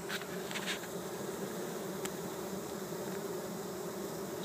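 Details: Honey bees from a captured swarm in Chico, California, worker bees and a male drone seen up close; a continuous low, even buzzing hum with a few faint rustles.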